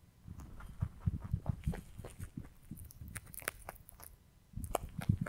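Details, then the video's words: A rabbit munching hay gives quick soft crunches in irregular bursts, a quieter pause in the middle, then a renewed flurry of dry crisp bites at the close. "Rabbit Eating Hay"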